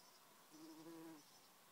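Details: A Greater Bumblebee visiting red and white clover flowers in a Scottish garden in summer; its low, steady hum swells briefly as it passes, then fades.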